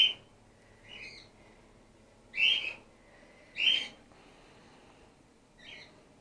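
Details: Gwickle, a female grey-headed flying-fox pup in care on her second day, being bottle support-fed after her concussed mother lost her milk. Five high, squeaky chirps come at uneven intervals, some loud and some softer, over a quiet background.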